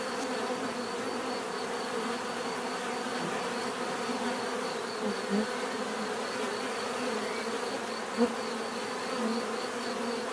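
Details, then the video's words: Steady, dense buzzing of numerous bees, a low droning hum with individual wingbeat tones drifting through and two short louder passes, recorded as natural sound for calm and sleep. "bees therapy relaxing natural buzzing sound"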